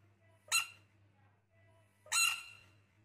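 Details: Two loud, rasping squawks from a baby rain frog, about one and a half seconds apart, each starting abruptly with bright harmonics and fading quickly, over a quiet low hum.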